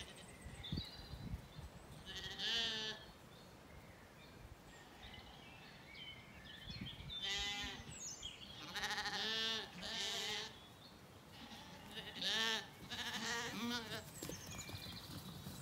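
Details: Weaned Zwartbles lambs wander and graze in an Irish orchard on a regenerative farm in County Kilkenny at evening; several drawn-out, wavering bleats come at intervals, some overlapping, with birds chirping softly in the background.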